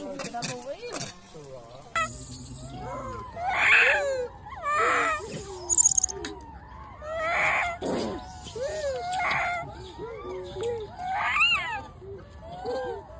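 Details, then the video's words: Wild baby macaque crying loudly after being bullied by its mother: a run of arched, wavering, squealing cries, with harsh screechy bursts near four, five, seven and a half, nine and eleven and a half seconds, plus a few short chirps between. "The baby monkey was bullied by the mother monkey and cried loudly"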